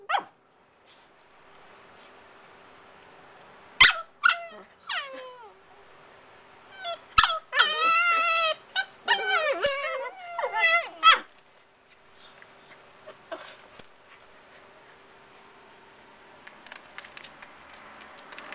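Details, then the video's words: Puppies Casey and Charley, aged 5 and 8 months, making funny noises in play: scattered yips lead into a long wavering, yodel-like whine with quick pitch wobbles, then quieter squeaks over a faint steady hum. "Casey and Charley, being silly making funny noises"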